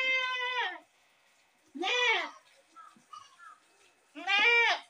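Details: Goat screaming in loud harsh bleats, three long nasal cries with rich stacked harmonics, separated by pauses about a second long, with faint softer sounds in between.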